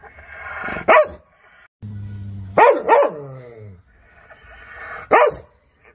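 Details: Dog in an angry, aggressive mood. A single sharp bark, then a low growl rising into a double bark with a falling whining tail, and one last bark after a pause.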